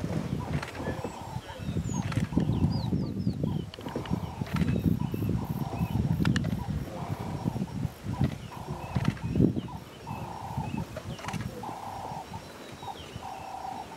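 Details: Mohlabetsi male lion coalition patrolling their territory on 25 October 2016; deep, rumbling low roars and grunts come in heavy bursts, over a steady string of mid-pitched buzzing pulses repeating every second or so, with faint bird calls.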